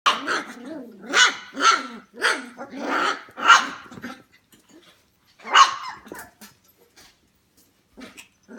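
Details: F1 Goldendoodle puppies, 25 days old, indoors at home around 11 pm: a rapid run of arched, harmonic whining yelps about every half second for four seconds, then quieter scattered squeaks after a pause.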